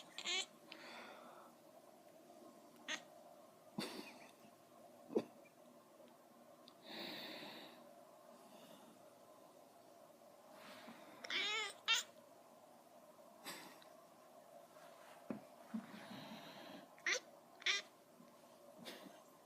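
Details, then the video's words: Male house cat chasing a laser pointer, giving short, quick, wavering chirps scattered across the recording, mixed with clicks and thumps from movement and a constant low hum. "My Kitty Makes Funny Noises"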